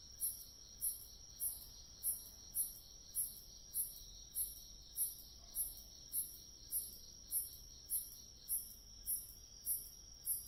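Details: Autumn grass insects calling: high, bright chirps repeated steadily about every 0.6 seconds over a continuous thin high-pitched hum from many insects, quiet overall with no other sounds.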